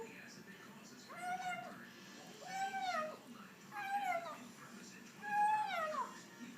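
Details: A pet female cat calling while she eats indoors in a small room: four short harmonic meow-like cries, each rising slightly then falling, spaced about every one and a half seconds, with faint background noise.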